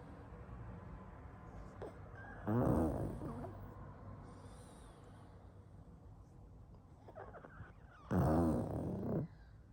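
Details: Pug asleep and snoring: two loud, rasping inhalations about six seconds apart, each lasting around a second, separated by quieter low, wheezy breathing.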